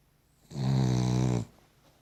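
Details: Loud, close snore from a Cavalier King Charles Spaniel asleep, one droning, evenly pulsing breath of about a second against quiet indoor background.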